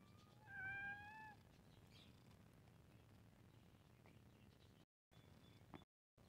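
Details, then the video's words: Cute domestic cat meowing while playing: a single clear harmonic meow about 0.7 seconds long, level then slightly falling, followed by low background rumble and a few faint clicks. "Cat Meowing Sound 🤣 Cute Cat While Playing 😁"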